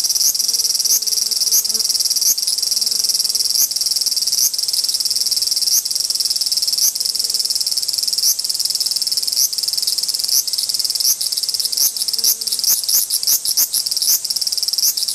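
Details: Two large brown cicadas in a dispute: a steady, dense, high sizzling drone with sharp clicking ticks spaced irregularly. The ticks come faster near the end, and a faint low hum breaks in now and then.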